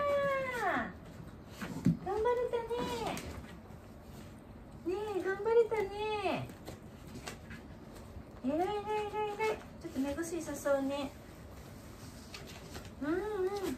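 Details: Wanta, an elderly dog in home care who vocalizes whenever awake and flails his legs, groaning during the morning routine indoors: drawn-out, tonal moans that arch up and then slide down, coming in bouts separated by short pauses.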